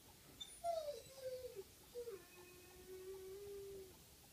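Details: Coyote on April 25, 2015, faint and distant: a few short falling wavers break into a long, steady, mid-pitched howl held for nearly two seconds, over constant background hiss.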